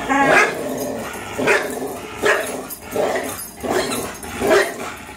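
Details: Growling tug-of-war match between two 3-year-old dogs, a Greyhound named Fox and a German Shorthaired Pointer named Miles: rasping growls in repeated pulses about once a second, each swelling then fading.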